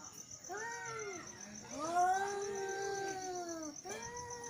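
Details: Angry male cats giving quieter drawn-out yowls: a short arched wail, then a long, slowly falling moan lasting about two seconds, and the start of another; steady high whine and low background noise.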